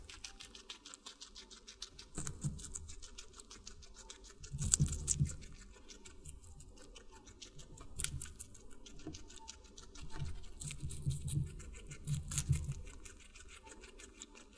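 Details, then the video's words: A guinea pig munching on watermelon: faint, fast ticking nibbles broken by louder wet chewing bursts every few seconds, the strongest around the middle and again toward the end. "Guinea Pig Eating Water Melon"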